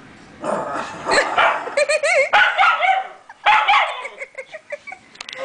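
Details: White schnauzer indoors, unhappy with a new deer wall decoration, gives a rapid string of harsh barks mixed with higher yips and whining, some rising and falling notes, several bursts per second with short pauses.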